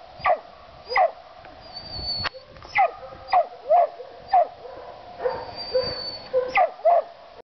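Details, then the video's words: Treeing a gray squirrel, a mountain cur gives a long run of sharp barks and yelps at irregular intervals, some doubled, with a thin high whine and a few clicks or knocks between them. "treeing a gray squirrel"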